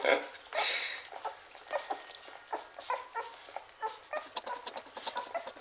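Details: Newborn Standard Poodle puppies nursing, eight babies sharing seven teats; soft high squeaks and whimpers with snuffling and rustling, irregular little bursts throughout.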